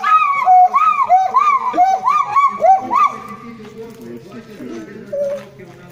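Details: Gibbon at a monkey temple in Thailand, calling in a fast run of arched, hooting notes, about three each second, that rise and fall, then fade as people talk and the scene grows noisy.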